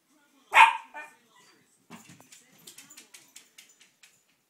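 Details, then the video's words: Male Miniature Schnauzer vocalizing as he looks for his "mama": a single loud, strongly harmonic bark-like cry, then a softer short one, followed by a run of light clicking and tapping sounds. "minature schnauzer talking"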